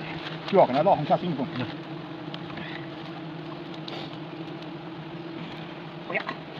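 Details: Honey bees at a hive during traditional honey harvesting in Nagaland: a steady, low droning hum runs through the whole recording, with short bursts of human voices near the start and again toward the end.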